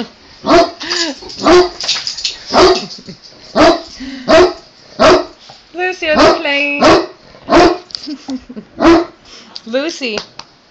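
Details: Great Dane stepping in to break up play between two male Boston Terriers: loud deep barks repeated roughly once a second, about a dozen in all, with a woman talking between them.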